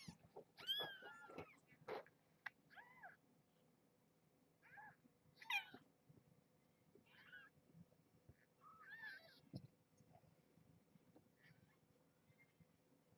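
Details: Springfield kittens in a towel-lined box with their mother at bedtime snack time: thin, high kitten mews in short bursts, a cluster early, then single cries around the middle and later, with soft rustling and quiet gaps between.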